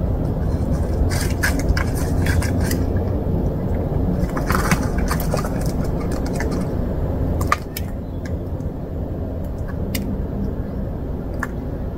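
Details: Loud street noise with vehicle rumble, scraping and jangling clatter in bursts, quieter after the midpoint; no animal voice present.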